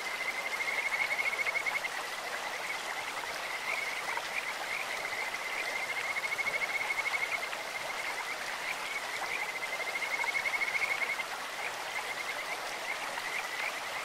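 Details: Kajika frogs in a clear stream with a sweet, birdlike voice: long bursts of rapid high pulsed trilling about every four seconds, over the even roar of running water.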